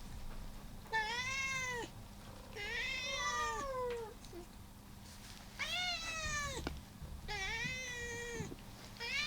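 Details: Indoor cats at feeding time, among fourteen including a rescued calico on her final day before going to a new home; four long wavering meows, each about a second, rising then falling, with quiet background between.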